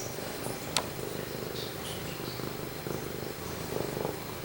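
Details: Close-up purring from Pumpkin, a male domestic cat indoors: low, rumbling, evenly pulsed purr, interrupted early by a single sharp tap.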